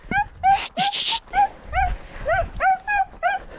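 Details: Podenco hunting dog out on a hunt, giving a quick run of high, whining yelps, each bending up then down, about three a second, with a short burst of rustling noise early on and a man calling the dog nearby.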